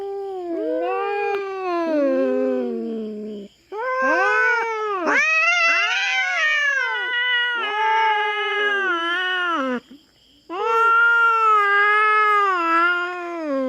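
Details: Wild feral cat raiding a farm cat's territory in the Philippines and fighting a black cat: overlapping wailing yowls, some arching up and down, others wavering, in long runs with short pauses.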